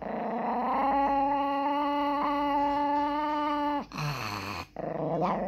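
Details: Chihuahua being scolded indoors for peeing gives a long, steady, high moaning whine lasting nearly four seconds, then drops to a lower grumble and breaks off.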